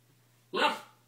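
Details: Standard Poodle puppy, female, 69 days old, playing with a door stop indoors after being told to use her paw; one short, sharp, bright bark lasting a fraction of a second, then quiet.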